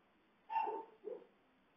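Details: Siberian Husky crying tears of joy at its owner's return after a week home alone: one drawn-out, wavering whine followed by a shorter, lower second cry, against a quiet background.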